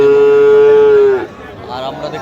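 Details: Sahiwal bull calf at a cattle market in Munshiganj, Bangladesh, recorded 9 August 2025: one long, steady, tonal moo lasting just over a second, ending abruptly, followed by faint market background.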